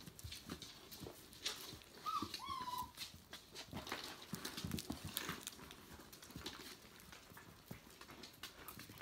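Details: Five-week-old Tamaskan puppies from the Magical Gems litter: near two seconds one pup gives a pair of short, high, nasal whines that dip and fall away, amid steady scuffling, clicking paws and movement noises indoors.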